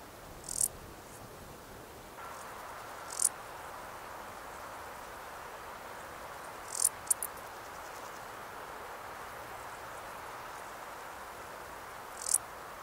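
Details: A male Stal's saddle bush-cricket (Lluciapomaresius stalii) gives its calling song, brief, high, scratchy chirps spaced several seconds apart, Sierra de Gredos, 17 July 2019.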